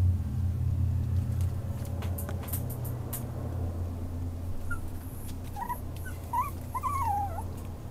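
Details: A female Yorkipoo puppy gives soft, thin, wavering whimpers that start after a quieter first half. A constant low hum runs underneath.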